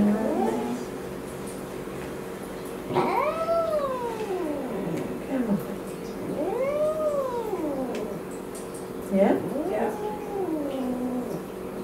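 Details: Angry domestic cat protesting a home vet visit indoors; four arched, moaning yowls spaced about three seconds apart, each rising then falling, over a faint steady hum.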